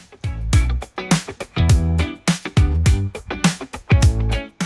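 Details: Funky music with plucked guitar and a steady bass beat plays, with no animal voice. Only the instruments are heard throughout.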